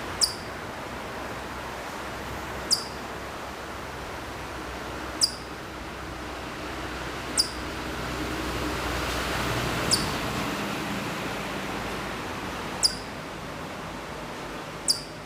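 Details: Distant Hokkaido chipmunk at Maruyama in Sapporo, Hokkaido, in September 2014, giving a slow series of seven brief, piercing, high chips, each dropping in pitch, spaced roughly every two and a half seconds over constant background hiss.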